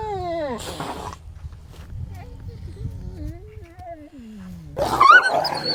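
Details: Grey wolves of a pack in Norway fight, whining, snarling and yelping in a tense exchange, with high wavering cries between harsh bursts.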